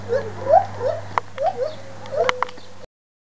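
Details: Two white-handed gibbons at a zoo howl excitedly in a run of short, rising whooping hoots, several notes each second.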